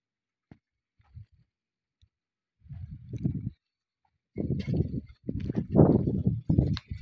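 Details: Camels recently brought to a private farmstead in North Kazakhstan for breeding give deep, rough, gurgling groans in several drawn-out bursts after a few soft knocks.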